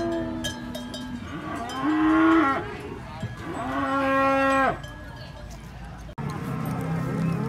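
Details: Raging cattle at a cattle contest in Banyuwangi, Indonesia: loud drawn-out moos, two long bellows with rich harmonics near the start and middle, then crowd noise and music.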